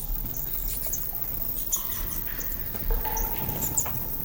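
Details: A cloud of horseshoe bats waking at dusk in a cave gives shrill, out-of-tune chirps, the audible part of their calls, over a low rustling patter of dozens of wings circling close around the microphone.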